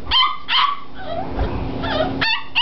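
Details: Five-week-old Springer Spaniel puppies let out short, high yelping whines: two at the start, a rustling, scuffling gap, then two more sharp cries near the end.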